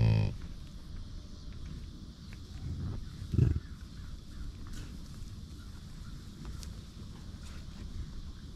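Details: American bison at a buffalo ranch: a low rough call at the very start, then a single short deep grunt a few seconds later, with a continuous low rumbling background.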